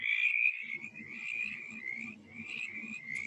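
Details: A male mountain chorus frog calls in Virginia with a rapid, squeaky, grating trill like an ungreased wheel, repeated in quick bursts, with a couple of spring peepers in the background.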